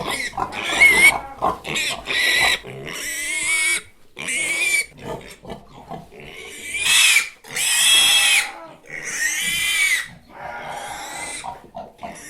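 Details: A pig screams repeatedly, giving harsh, high, noisy squeals that swell and cut off in irregular bursts, roughly a dozen over the stretch, with quieter snorting between.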